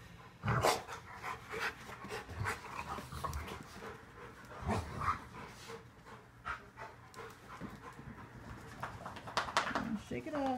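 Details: Rottweilers growl and pant in rough bursts as they play-wrestle indoors in a living room.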